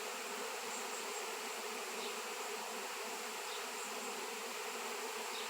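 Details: Many honey bees swarming in reaction to a raw 7 lb chunk of shungite, locally unseen for years; an even, saturated buzzing roar of countless wings fills every moment with no pauses.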